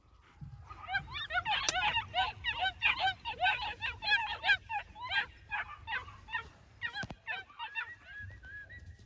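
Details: A litter of New Zealand Huntaway puppies yaps continuously in shrill, bent notes at a rapid pace, tapering at the end into a few drawn-out whining cries.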